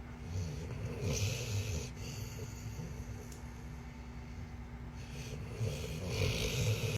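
A Rottweiler snoring, with low rumbling breaths rising and falling in slow bursts.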